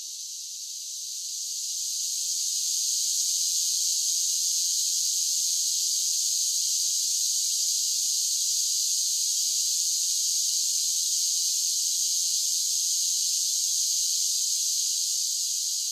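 A chorus of cicadas fills the air with a dense, high-pitched sizzling drone. The buzz rises over the first couple of seconds, then holds unbroken and even, with no other sounds.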